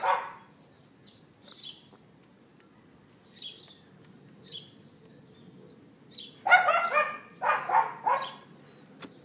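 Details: Neighbour's outdoor dog on April 18th 2012 at about 11:31 AM, iPhone 4S recording: long quiet spell with faint bird-like chirps, then a cluster of loud yapping barks in quick succession toward the end.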